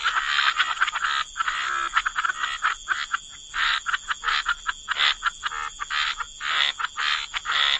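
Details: Frogs in a wetland give loud raspy croaks in quick bursts, several callers overlapping and pausing briefly between volleys, accompanied by a constant high hiss.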